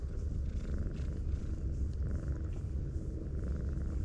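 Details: Stroked brown tabby cat curled up like an armadillo, giving a continuous deep, throbbing purr with an even pulsing rhythm from start to finish.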